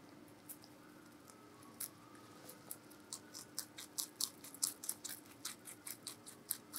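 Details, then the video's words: Meonji the giant rabbit munching vegetables in a small quiet room: quiet at first, then rapid crunching builds into a brisk, fairly even rhythm of sharp crackly bites, over a low steady background hum. "자이언트 토끼의 채소 🐰ASMR🐰"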